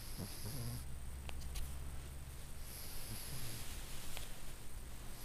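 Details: Circe, a very sleepy older Cornish Rex with respiratory issues, snoring with nose-in, mouth-out breathing. Low rumbling snorts open the clip, then a longer hissing breath follows after a short pause.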